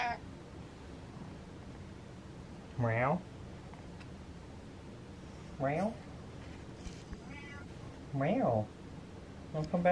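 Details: Domestic cat belting out long meows indoors, each swooping up then down, spaced roughly every two and a half seconds, four calls in all, against a constant low background hum.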